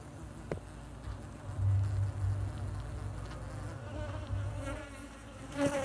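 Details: Bees building a hive in a pot hung on a tree: a low, steady buzzing hum with faint layered overtones, a few soft clicks, and a short louder swell of buzzing near the end.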